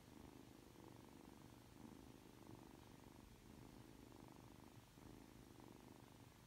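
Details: Just-woken 3-month-old Ragdoll kitten Aki keeps up a gentle, low purr that swells and eases with each breath, steady throughout, over a faint room hiss.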